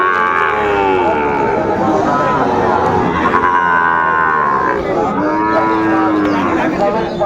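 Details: At a Tangail cattle market in Bangladesh, Sahiwal cattle give two drawn-out, wavering moos amid constant market chatter and crowd murmur, recorded 2 May 2024.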